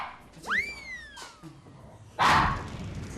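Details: Pomeranian pet dog named Ttaki, known for barking loudly at strangers, reacting at home as an unfamiliar TV crew visits; a rising then slowly sliding whine-like tone, followed near the end by one harsh, loud bark burst.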